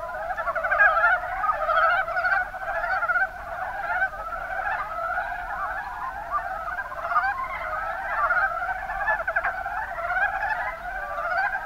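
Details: Mountain brown frogs, Rana ornativentris, in the Kuma Basin of Kumamoto, Japan: a dense chorus of many overlapping rattling, chuckling croaks blending into a steady throbbing drone that holds for the whole stretch.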